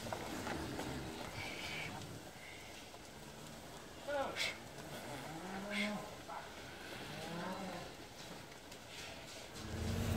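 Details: Limousin cows used for grazing management in the Hunzedal, Netherlands, during their winter move from polder to a deep-litter barn as the stream valley floods; several faint, drawn-out harmonic moos over a steady noisy background, with brief sharp knocks.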